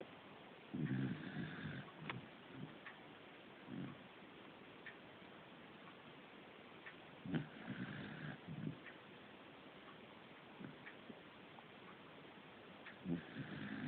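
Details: Fujiko, a pet corgi at home, snoring: low rasping snores about a second long, returning roughly every six seconds, with quiet breathing between them over a faint steady room hiss.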